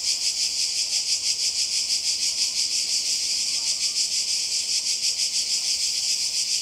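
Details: Croatian coast in summer 2020, where cicadas fill the air with a loud high buzz. The buzz pulses steadily around three beats per second across the whole stretch.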